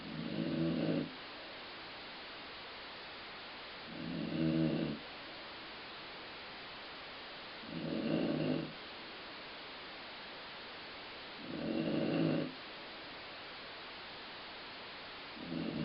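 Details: Sleeping dog snoring indoors, said to sound like a growling stomach: low, rough rumbling snores about a second long, repeated steadily roughly every three to four seconds with quiet gaps between.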